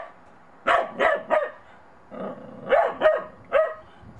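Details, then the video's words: Monty, a Bedlington Terrier puppy, barks warily at a child's little snowman on his first outing in snow; six short yappy barks come in two clusters of three, with a brief quiet pause between. "MONTY THE BEDLINGTON TERRIER PUPPY UNSURE OF THE SNOWMAN"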